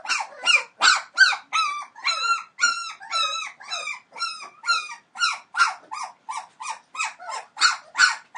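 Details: Whining 21-day-old Entlebucher Mountain Dog pups from the Aisha Princess of Beauty and Falk vom Kornried litter: a continuous chain of short, bent, high-pitched cries, about two to three each second, evenly paced throughout.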